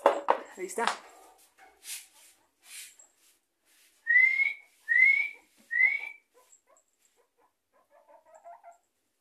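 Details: Guinea pigs whistling while begging for food: three loud rising whistles about a second apart, each sliding upward, preceded by a person calling and coaxing in Spanish and followed by faint squeaks.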